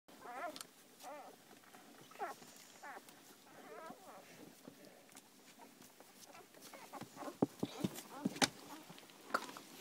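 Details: Newborn Labrador Retriever puppies, one day old, eleven pups in a kennel with their mother, nursing and sleeping; thin, high squeaky whimpers with stacked harmonics come in short bursts about every half second, then fade among clicks and handling noises.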